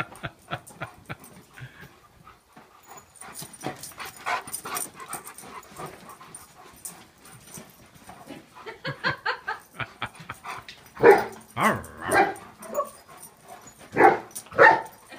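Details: Two Leonbergers, the young male Uzi and the female Elsa, romp together at their first meeting. Soft huffs, panting and scuffling build into louder bursts of barking and growl-like yaps toward the end.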